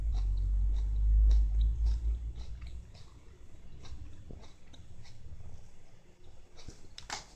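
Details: Siamese cat eating lettuce: irregular crunchy bites and clicks, about two per second, heaviest in the first three seconds, over a low rumble, with a sharper crunch near the end.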